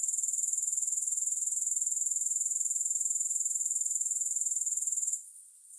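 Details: A grasshopper chorus with no music: high, buzzing pulses repeated about four per second in an even, unbroken trill that cuts off abruptly near the end.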